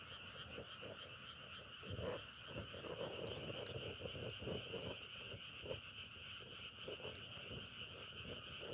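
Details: Dense outdoor frog chorus, said to sound like firewood burning; a steady high droning trill from many frogs, with lower croaking pulses rising around the middle and scattered clicks.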